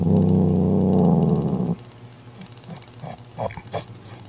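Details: Mother cat growling to drive her jealous sister away from a newborn kitten the sister tried to take: a deep, steady rumbling growl for under two seconds, then quiet with soft scuffles and clicks.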